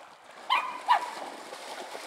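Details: At a pond where dogs are at play, two sharp, high yelps come close together, about half a second apart, before the sound fades back into faint background noise.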